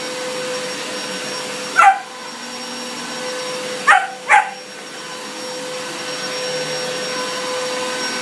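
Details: German Shepherd puppy reacting to the vacuum cleaner: a single sharp bark, then two quick barks about two seconds later, each over the constant, even drone of the machine.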